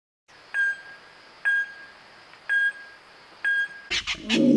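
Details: Wahlberg's epauletted fruit bat calling in Kruger National Park: four evenly spaced ringing, bell-like pings about a second apart, followed by a brief burst of rustling noise at the end.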